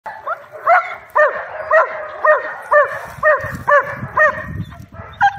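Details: German Shepherd Dog at work, barking steadily: about ten sharp barks, roughly two per second in an even rhythm, with some low rumbling noise between barks.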